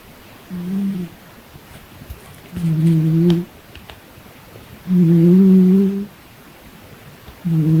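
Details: Hazel, a domestic cat, making strange noises: low, steady hum-like moans, each about a second long, four in a row spaced roughly two seconds apart, over a quiet background.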